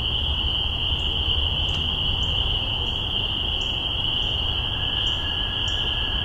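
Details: Spring peepers in Massachusetts, spring 2015, call in a dense chorus, their high peeps merging into a steady shrill ringing.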